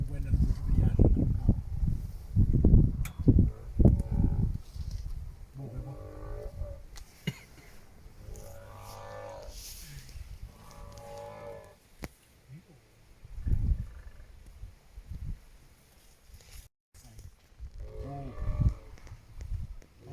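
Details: African elephant in Kruger Park near an unfenced camp, looking thin, gives strange low, drawn-out moaning calls with a mooing harmonic tone in short bouts; observers wonder whether it is sad, mourning or in pain.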